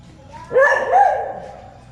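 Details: A dog barking in the grounds of Wat Mahabut (Wat Yanak), reacting to something it appears to notice. One loud, harsh bark swells and then trails off over a low steady hum.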